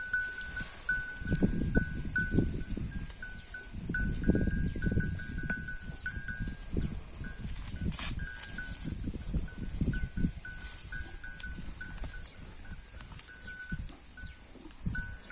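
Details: Holstein Friesian cow eating grass, giving steady low, crunchy tearing and chewing bursts about three per second, with high repeated chirping in the background.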